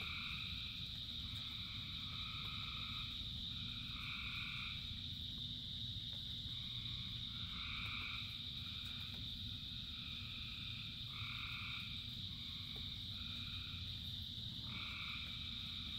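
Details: Many frogs singing in rain. Short, tonal croaks repeat irregularly every one to two seconds over an unbroken high trilling chorus and a heavy, low wash of falling rain.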